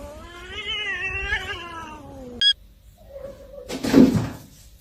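A kitten gives a long, drawn-out meow that slowly slides down in pitch.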